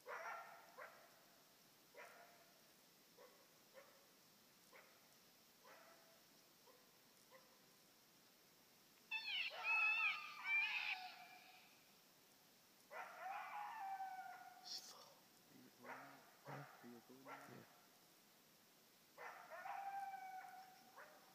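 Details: Coyote responding to a Fox Pro electronic caller with a long run of barks, bursts of high, wavering howls and yelping, and more barks between, in a quiet outdoor setting.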